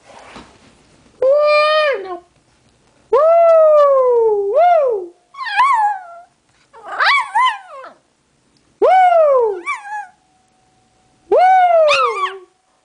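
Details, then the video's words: Pet dog singing along with its owner: a series of six drawn-out, wavering howls, each rising then sliding down, some ending in a brief upward yelp, separated by short pauses. "Cute dog singing"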